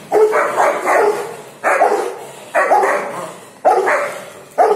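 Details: Rottweiler barking during play: loud, harsh, resonant barks, often doubled, coming roughly once a second, each trailing off before the next, with no other clear sounds.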